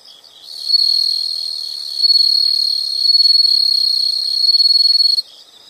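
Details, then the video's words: Shrill, steady insect trilling, high and unbroken for nearly five seconds, rising in loudness at the start and stopping abruptly, with faint chirps around it. "the sound of insects"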